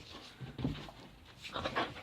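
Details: Dog named Riley being told to sit, panting in soft breathy bursts, with two clusters of airy huffs roughly a second apart; a person's voice giving commands nearby.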